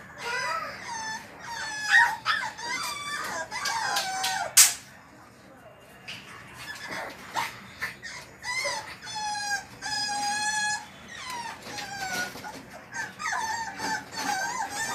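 French bulldog puppies whine and squeal in high, wavering tones, over and over.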